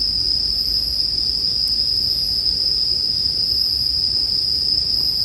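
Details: A steady high-pitched ringing from bell crickets (suzumushi) fills the scene without pause, over a faint low hum of a crackling campfire with one soft snap.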